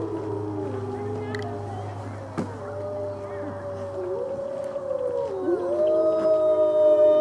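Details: Several gray wolves at the Colorado Wolf & Wildlife Center howl together during a full-moon feeding tour on November 17, 2013, in long, sliding tones that rise and fall over one another.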